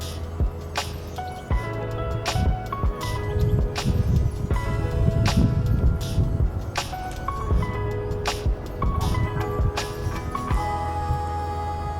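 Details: Music with sharp percussive hits over a steady low hum, with no animal voice standing out.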